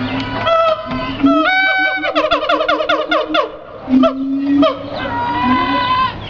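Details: Siamang giving loud, rich, harmonic calls: a rising whoop, then a quick string of stacked barking notes, followed by sustained low hoots and a long, steady, ringing tone.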